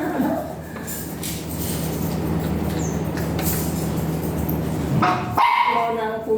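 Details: Dog at a Mapandan veterinary clinic during a breeding service with a virgin dam and sire; steady hum and room noise with voices, then a short burst of sharp yelps near the end.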